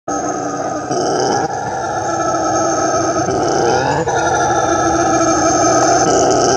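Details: Brown howler monkey, Alouatta guariba, giving a dense, droning roar that holds steady for the whole stretch, with a low growling texture and layered buzzy tones, broken by a few brief shifts in pitch.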